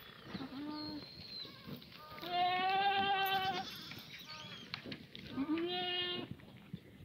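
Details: Free-range black goats in the exercise yard of a farm below Mucheoksan, Gimhae, South Gyeongsang, on a clear Monday morning in June 2019, give long, steady, nasal bleats. Two loud drawn-out calls stand out among shorter ones, over a low background murmur.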